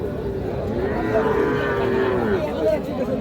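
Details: Small Sahiwal calf at the Ambari cattle market in Parbatipur, Dinajpur, 31/1/26: a single long, tonal bawl that swells and tails off over about one and a half seconds, with a crowd of buyers and sellers chattering around it.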